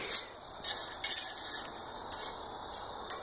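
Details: Only light metallic clinks and jingles come in short bursts over quiet background, with no animal voice.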